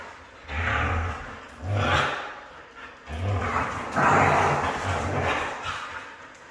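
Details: Red female Siberian husky giving low, rough, grumbling vocal bursts, about four drawn-out growly phrases rising and falling over several seconds, with a steady background hiss.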